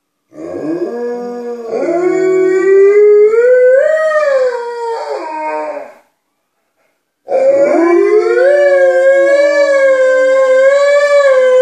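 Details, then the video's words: Loud, sustained howling from Alaskan Malamutes Tuvaaq and Aanaga inside the house, aimed at people outside: a rising, wavering howl with overlapping voices, a brief pause, then another steady, rising howl. "Malamutes making their presence known"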